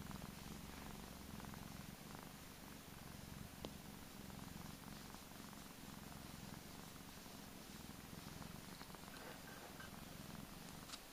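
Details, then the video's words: A plump, pampered male Persian cat purrs continuously, a low rapid rumbling throb with a breathy rhythm that pulses in and out through the whole stretch. "Cutest purring cat ever!"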